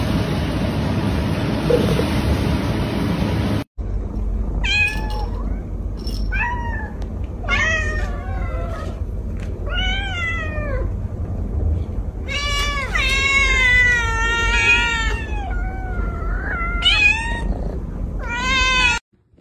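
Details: Domestic cat meowing in a funny compilation: after a few seconds of steady hiss, a run of loud, harmonic meows, some rising and falling, others drawn out and wavering, packed closely together with short gaps.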